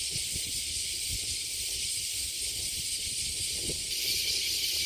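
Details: Cicadas in summer at Kasai Rinkai Park, Tokyo, Japan: a dense, unbroken high-pitched buzzing chorus fills the whole stretch, steady in loudness, with faint low rumbling underneath.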